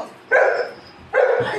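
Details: Golden retriever dogs in a family home, Anna and her puppies, waiting eagerly while fruit is cut and handed out; two short, loud barks about a second apart, each a harsh burst with rich mid-range tone and quiet pauses between.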